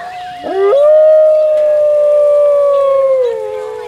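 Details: The alpha wolf of the main pack howls during a howl night at which a crowd joins a final howl. The note climbs sharply, then holds a long, loud, steady, clear tone for nearly three seconds before sliding slightly down.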